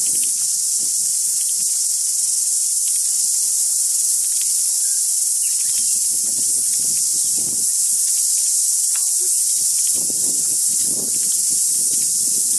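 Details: Deafening chorus of cicadas singing on the day of recording: an unbroken, hissing high-pitched wall of sound at steady loudness, with faint low rustles and a few brief thin bird notes behind it.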